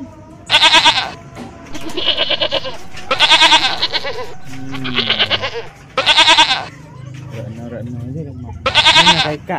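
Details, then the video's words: Goat bleating loudly and repeatedly, five harsh, wavering bleats spaced roughly two to three seconds apart, with softer voices and music between them. "Suara Kambing, Bunyi Kambing, mbek mbek"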